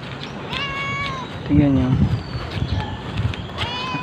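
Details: Cats in Amoranto Park, filmed on a smartphone walk: drawn-out tonal meows that rise then fall, with a lower warbling cry in the middle, over background music and outdoor hum.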